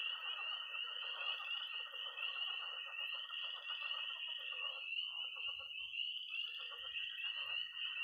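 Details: Nighttime early spring chorus from a Missouri pond: peeping tree frogs hold a shrill, continuous tone, a high trill runs alongside, and a thick rattling croak chorus fades and returns, with a few faint low knocks.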